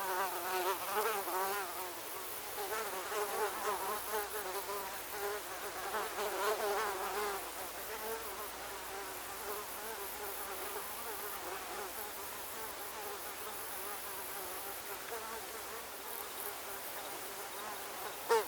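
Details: A mosquito cacophony, with loud overlapping wavering whines for about seven seconds, then a thinner, quieter drone for the rest, ending with a soft click.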